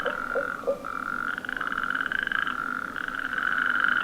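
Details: On a February night in Extremadura, a small group of toads, possibly natterjacks (sapo corredor), calls underwater at the start of the amphibian season: a steady, rolling mid-pitched trill with a few short lower croaks at the start.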